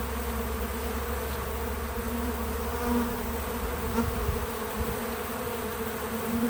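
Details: On a small farm, bees crowd a feeder outdoors, their wings producing a steady low buzzing hum with small surges as individual insects pass nearby.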